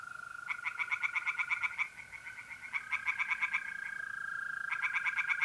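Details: Tree frogs singing in a pond at night in mid-April, North-East Italy: bursts of rapid, rasping croaks, about three per second, broken by short pauses, over the steady high trill of mole crickets.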